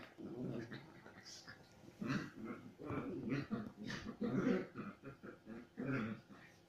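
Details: Pet Chihuahua cross dogs playing aggressively, giving repeated low snarling growls in bursts roughly every half second to second, with occasional higher yips and whimpers between them.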